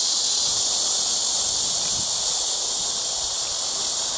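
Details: Crickets at Eulsukdo bird sanctuary in Busan, South Korea, recorded 30 August 2018: a dense, unbroken high-pitched buzzing drone that holds steady throughout, with no other clear sounds.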